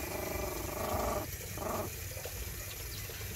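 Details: Puppies breastfeeding, with a thin, steady whining tone that holds for about a second, breaks off, then returns briefly before fading into soft low rumbling and background noise.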